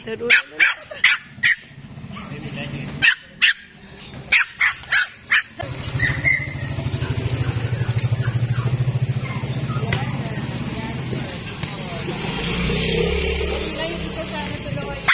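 A Pomeranian gives a quick string of sharp, high yapping barks, followed by a steady mechanical drone.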